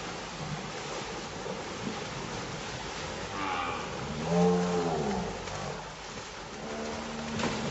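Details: Cattle driven on Hacienda los Cascabeles ranch; a single prolonged moo rises out of constant rumbling outdoor background noise midway, with fainter lowing near the end.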